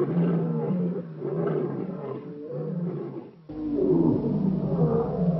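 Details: Wild African lion near Shingwedzi in Kruger National Park: deep, harmonic rumbling vocalisations in rough pulses, a short gap near the midpoint, then a louder, denser stretch of growling roar.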